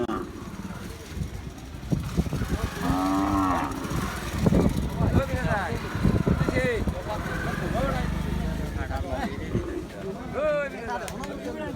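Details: Cattle at a livestock market in Chunarughat; a few low, short moos rise from a noisy crowd, with shouting voices and music throughout.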